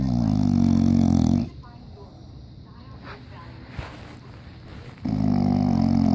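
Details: Sleeping English Bulldog in diapers snoring loud: a long, harsh, droning rattle with a low buzzy tone opens the recording, then about three and a half quiet seconds of soft breathing, then another loud rasping snore.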